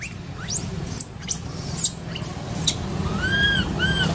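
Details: Baby monkey in an archaeological park, crying while its mother ignores it: shrill, arching squeals that rise and fall, several in quick succession, then shorter harmonic-rich cries near the end over a low background rumble.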